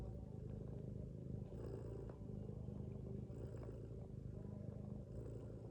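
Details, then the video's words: Domestic mother cat snoring while sleeping with her kittens; a low, rumbling, continuous snore rises and falls with slow breathing cycles about every second, with faint higher rustles over a steady hum. "Mother cat snoring with her kittens"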